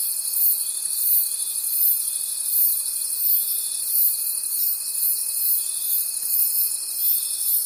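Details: Crickets in a nighttime forest, a thick high-pitched pulsing chorus of many callers with a constant thin tone running through the whole stretch.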